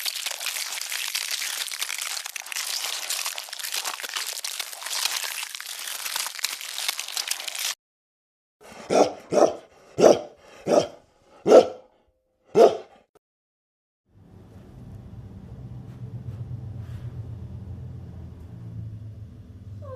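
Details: Dog barking: six short, evenly spaced barks in a burst of about four seconds, after a stretch of broad hiss-like noise and followed by a low rumbling background.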